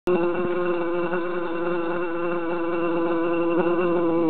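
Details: Three bees trapped in a jar in summer, buzzing loudly and continuously; several overlapping droning tones waver slightly in pitch as the insects fly against the glass, with a faint tap near the start.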